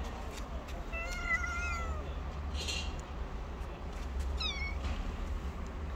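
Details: Hungry homeless stray cats, a black cat and his friend, living on the street: one long drawn-out meow lasting about a second that falls slightly at the end, then a shorter downward meow, over a steady low rumble.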